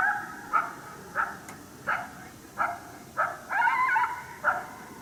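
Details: Coyote heard but not seen during a hunt at St-Andrews, 1 March 2019, barking because it is unhappy at the hunter's presence: about eight short, sharp barks repeated every half to one second, one drawn into a longer wavering yelp.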